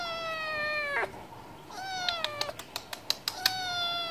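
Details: Stray cat meowing for wet food: two long, level, clearly voiced meows, then a third begins, with rapid clicking and tapping sounds between them.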